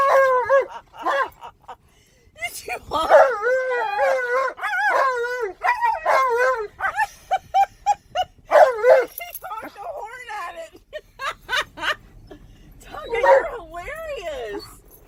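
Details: Alaskan Malamute excited in a car while driving around a park, loudly howling and 'talking' in long wavering, rising and falling tones with barks mixed in, while people laugh and talk nearby.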